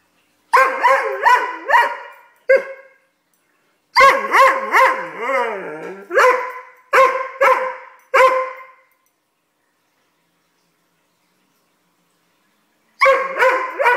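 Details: Doberman puppy throwing a tantrum, giving bursts of harmonic barks and yelps in quick runs, some drawn into wavering whines, with pauses of silence between groups.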